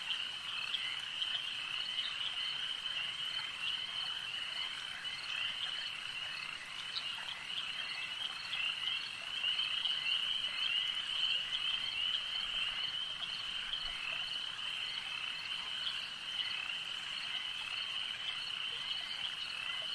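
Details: Lakeside frog chorus, many animals calling together in an unbroken high-pitched trilling wash, briefly swelling louder midway, with rapid overlapping croaks throughout.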